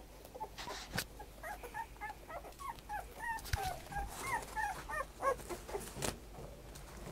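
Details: Fainter black-and-tan dog whimpers, short squeaky rising and falling whines repeated irregularly several times a second, with soft thumps and handling noise around them.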